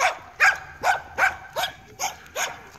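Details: Seven-month-old Weimaraner during a training session barking in a rapid series of about seven short, sharp barks roughly every 0.4 seconds, steady and insistent.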